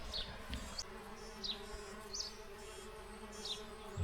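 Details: Many wild bees swarming a bee hotel beside a campsite on the Zuid-Willemsvaart canal at Tongerlo near Bree, Belgium, in March; a faint, steady low hum runs throughout, with short high chirps from small birds above it.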